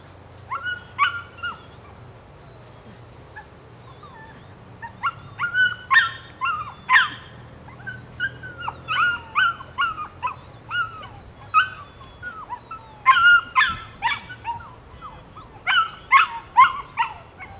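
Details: Female pup, nine weeks old, sired by Rodin out of Katana: after soft opening whimpers, a run of rapid high-pitched yapping barks from about five seconds on, coming several per second in uneven bursts.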